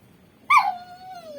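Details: Pet dog whimpering indoors as its owner, speaking Tamil, says it cannot be taken outside; a sudden high whine that slides down and then holds as a thin, drawn-out falling tone for about a second.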